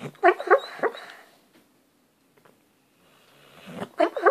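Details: Dreaming dog asleep indoors, giving quick muffled yips and whimpers in a tight cluster, then a quiet pause before another rapid run of stifled yelps.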